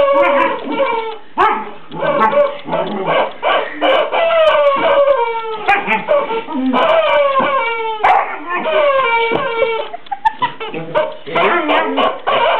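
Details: A Border Collie plays excitedly with Henrietta, its new toy chicken dressed as a Playboy bunny. Long runs of wavering whines and howl-like yelps are broken by sharp thuds, with a short gap near the middle.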